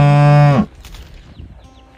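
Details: Calf mooing as it calls for its mother: a loud, low, steady moo with rich harmonics lasting about half a second, breaking upward at the end, followed by faint barn noise.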